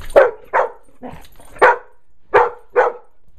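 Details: Pet dog Brutus barking at a bee he has found: about five forceful barks in irregular pairs, each short and explosive, with brief pauses between.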